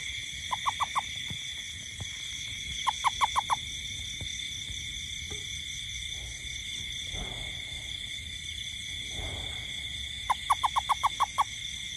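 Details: Toad calling in a garden at night during rain: three short bursts of five to seven quick, evenly spaced mid-pitched pulses, separated by pauses, over a constant high-pitched insect chorus and a low background rumble.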